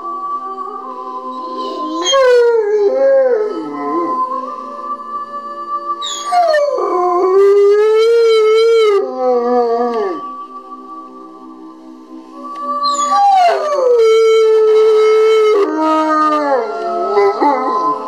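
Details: A 2.5-year-old male Rottweiler "sings" along to the Titanic theme, howling in long sliding wails over a slow instrumental melody.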